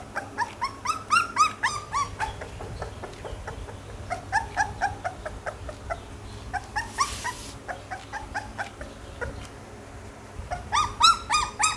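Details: Young Pit Bull puppies whining in rapid bursts of thin, squeaky yelps and rising whimpers, several voices overlapping, a brief rustling hiss midway, low background hum throughout.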